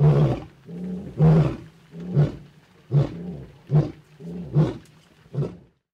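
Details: Roaring from a lion pride in Naboisho Conservancy, Maasai Mara, Kenya, on a rainy late evening, with a wet male lion close by. A series of low, grunting roars repeats about every three-quarters of a second, each pulse short and throaty.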